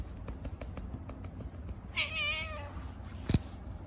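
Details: A cute stray cat, playing after being fed on the street, gives one drawn-out, slightly wavering meow lasting under a second, over steady low hum and a sharp click afterward.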